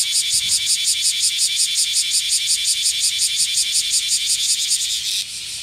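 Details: Loud black cicada from Kyoto in western Japan during the noisy, hot summer: a harsh high buzz throbbing in regular quick pulses for about five seconds, then easing into a softer, flatter hiss.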